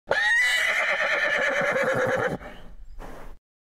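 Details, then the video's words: A horse in a stable gives a loud, shrill neigh that wavers and shakes, then a short breathy snort. "Horse Neigh On A Stable [ Royalty Free Sound Effects ]"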